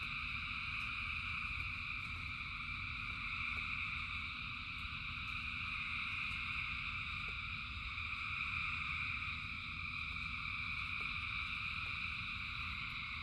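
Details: Thousands of frogs chorusing in rain make a dense droning trill at several layered pitches, rising and easing a little over time, while sparse clicks and steady low rain noise fill the background.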